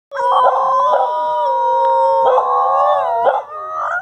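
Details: Several dogs howling in a backyard in response to sirens: sustained, wavering tonal howls overlapping in harmony, with pitch bends and brief breaks around one and three seconds, continuing steadily for four seconds.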